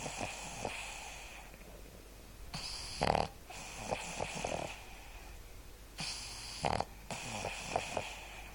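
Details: Sleeping Boston terrier Seamus gives two loud, snorting snores about three and a half seconds apart, with softer raspy inhalations and small clicks filling the gaps.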